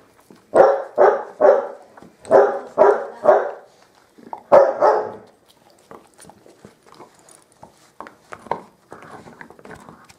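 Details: Bearded Collie puppies of the M litter playing on a roof terrace: sharp, high yapping barks in quick bursts of two and three over the first five seconds, then softer scuffling, faint yips and small knocks.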